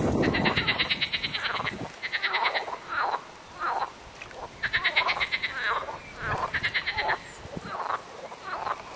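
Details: Frogs calling in a series of pulsed, rattling croaks. Bursts of rapid clicks run about a second each and repeat irregularly, with several callers overlapping across the recording.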